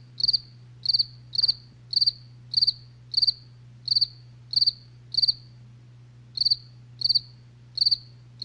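A cricket chirps steadily at night, each short high trill repeated about every half second.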